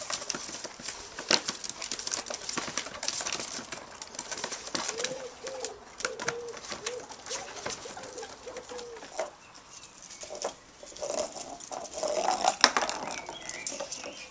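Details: Ferret having fun at play: a short run of soft, quick clucking notes strung together in a burst, surrounded by scratching, scuffling and light clattering noises throughout.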